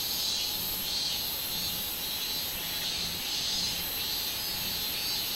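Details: Minminzemi, the robust cicada, on 24 July 2016, singing a steady shrill buzz that swells and fades in gentle pulses, with no other clear sounds.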